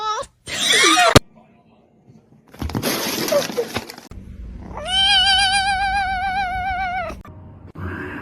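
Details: Cat in a cat fight gives a drawn-out, steady, high meow lasting over two seconds, rich in overtones and ending abruptly, preceded by short bursts of rough noise and crashing sounds.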